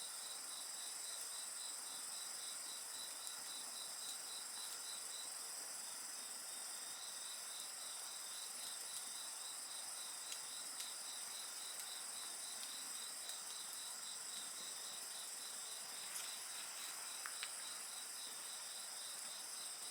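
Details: Insects calling beside a bonfire: several steady high trilling voices layered together, one pulsing rapidly a few times per second, with occasional sharp crackles and pops from the burning fire.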